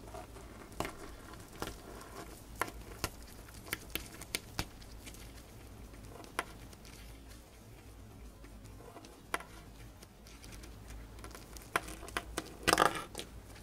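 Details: Pet female hamster eating dried corn indoors, finishing it quickly; scattered sharp crunching clicks, some in quick pairs, sounding every second or so over a soft steady room hum, with a louder burst of crunches near the end.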